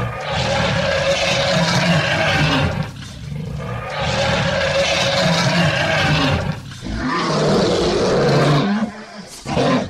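A lion roars in long, harsh, rumbling bursts, each lasting a few seconds.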